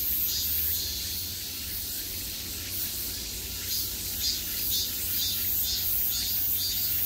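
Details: Summer cicada chorus heard from every direction: a continuous shrill drone with rhythmic surges roughly every half second, faint low hum underneath.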